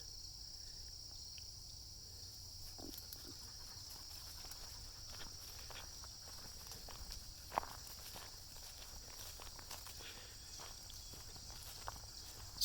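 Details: Cicadas keep up a continuous, shrill buzzing chorus on a woodland trail during a walk through hills and a valley, with crickets also present; footsteps crunch and scuff through it, with sharp clicks and knocks; cicada.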